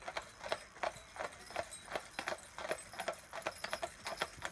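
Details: Clydesdales Cyril and Monty, a pair driven in harness, visiting from Scotland: brisk clip-clop of hooves, sharp clicks at roughly 160 per minute with an uneven, overlapping rhythm of two horses, steady throughout.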